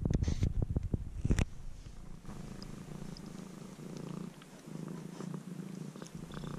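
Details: Stray kitten that turned up near a house and is now almost fully tame. Loud thumping bumps open the recording. A low, even purr with a gentle pulsing rumble then continues to the end, recorded up close.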